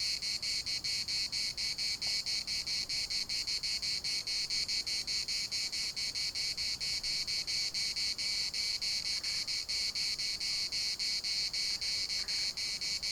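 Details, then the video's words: Several cicadas overlapping in the municipal park of Larnaca, their pulsed high buzzing blending into a near-continuous shrill drone, with only faint, brief dips in loudness. "CICADAS at the municipal Park Larnaca"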